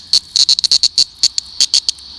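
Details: Male cicada with deformed, ruptured wings after a troubled emergence from its nymph shell, calling while gripping a person's hand: loud rapid clicking bursts in irregular clusters, crackling like a Geiger counter, with gaps between pulses.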